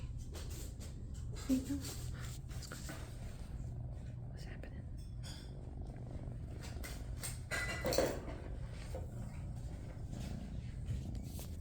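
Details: Tabby shelter kitten, one of a litter of sisters born to a feral mother, purring indoors in a small room: a steady low rumbling drone throughout, with a woman talking softly over it and brief meows.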